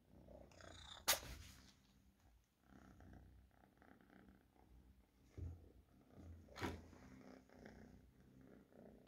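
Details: Domestic cat purring softly and steadily in a low rumble, with two sharp clicking knocks near the start and again later in the recording.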